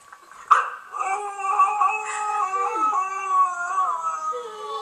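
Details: A big pet dog singing, a sustained wavering howl with rich stacked harmonics after a short sharp onset, holding steady and sliding slightly in pitch for about four seconds.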